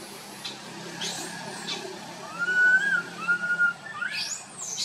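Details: Little monkey Boston calls loudly as he wanders: two smooth, slightly wavering whistled coos in a row, ending in a high sweeping screech, over a soft rustling background.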